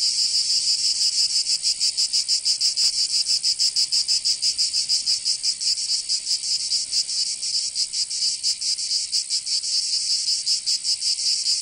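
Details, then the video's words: In Provence, southern France, cicadas sing through the summer heat: a continuous shrill buzzing with a quick, slightly uneven throb, steady in loudness from start to end. "Canto Cigarra 🦗 [ Escuchar les cigarras en verano 10 H]"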